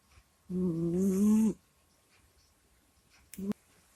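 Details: Kusya, a pet cat, asleep and recorded close to a microphone, lets out a long voiced groan of about one second, low and steady with a slight rise, then a brief second grunt near the end; quiet room otherwise.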